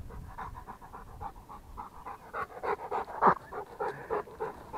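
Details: Rottweiler panting: quick, breathy, rhythmic huffs at about a hundred per minute. The bursts grow louder and rougher toward the middle, with one sharper, throaty gasp near the end. No other sounds intrude.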